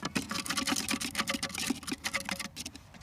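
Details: A ferret kept in a wooden box on a farm scrabbles restlessly, keen to get out and work a rabbit hole, a rapid patter of claws and knocks.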